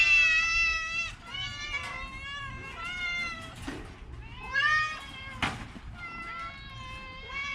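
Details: Orange cat, sick with a cough and cold, meows over and over: a run of drawn-out, harmonic-rich wails that rise, hold and fall, some short and some long, with a faint low hum beneath.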